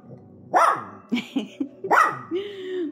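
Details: Hungry poodle puppies waiting for food, giving rising-falling whines and short yelps, a few squeaky notes then a longer drawn-out whine at the end, with a person speaking.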